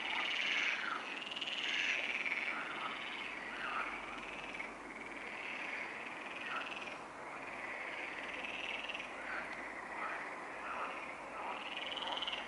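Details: A night chorus of frogs at the Neuer Teich pond, recorded 28 May 2017 at 23:27. Many overlapping croaking voices form a steady, rough, mid-to-high trilling mass, rising and dipping in loudness every few seconds.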